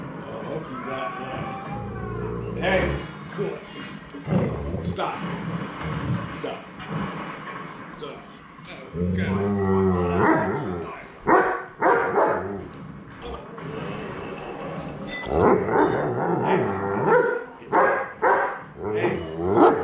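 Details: Alaskan bush dogs Loki, Thor and Sprocket howl together after mushing, rising and wavering tonal wails in overlapping bursts, with people talking over them indoors.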